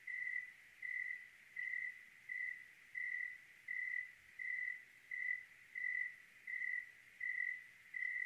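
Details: Clear-night cricket in Oregon, chirping in a regular beat of about 82 per minute; each note is a short, bright, steady-pitched pulse, with a soft low hum underneath.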